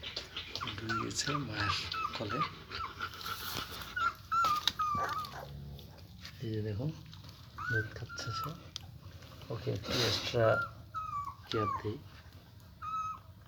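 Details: Young German Shepherd puppies, eyes not yet open, feeding beside their mother indoors; thin high whines rising and falling in short bursts, mixed with a person talking and brief background music.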